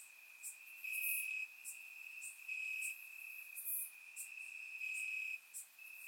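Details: Crickets chirping in grass on a warm summer night in Bulgaria, recorded with a surround microphone: a steady high ringing trill with louder pulses swelling and fading every second or so, plus brief higher chirps from other insects.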